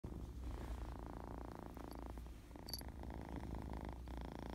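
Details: Kitten purring while happy and very playful: a steady low rumbling drone with rhythmic pulsing, continuous throughout, with a few faint high clicks near the end.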